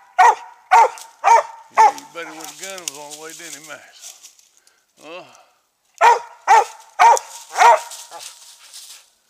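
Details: Treeing Mountain View Cur Max Pine Knot, about three years old, barks at a treed squirrel in South Carolina: four rapid, loud barks, a man talking, then four more barks in a steady rhythm of about two per second.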